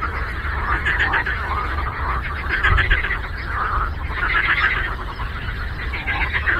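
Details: Lake frogs croaking together: bursts of harsh, pulsed croaks swell and fade roughly every second or two inside a thick, unbroken chorus, with a low rumble underneath.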